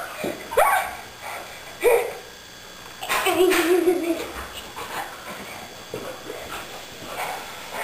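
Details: Poodle sparring karate-style with a girl, giving short rising yips and whines near 0.6 and 1.8 seconds, then a steadier whining tone with a brief higher squeal, amid rustling movement and a little human voice.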